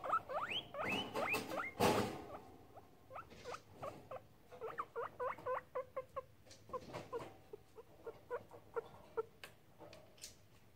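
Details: Pet guinea pigs checking out a camera: a run of short rising whistled squeaks, fast at first, then spaced chirps repeating roughly twice a second, with a loud rustling thump near the start.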